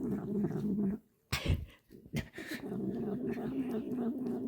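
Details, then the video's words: Cat lying comfortably in a man's arms while being fed a treat, licking and eating: steady low purr-like rumble, broken by a pause and a few sharp smacking licks around the middle, then the rumble resumes. "Cat Lies in Person's Lap and Enjoys Treat Making Hilarious Sounds"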